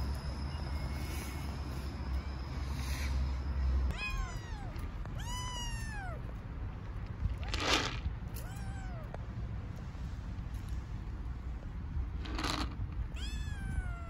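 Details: Hungry homeless stray kittens on a street in Istanbul meowing loudly from hunger; clear, high, arching meows repeated several times in quick succession, broken by short scuffing bursts over a steady low street rumble.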